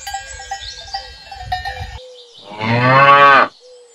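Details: A domesticated cow gives a single loud moo lasting about a second, rising then falling, after a stretch of clanking cowbells and low rustling.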